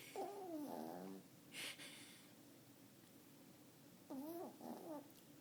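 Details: Sleeping Yorkshire Terrier, nine years old and five pounds, dozing in someone's lap; wheezy, wavering nasal snores of about a second each, with a breathy puff between them, in a quiet room.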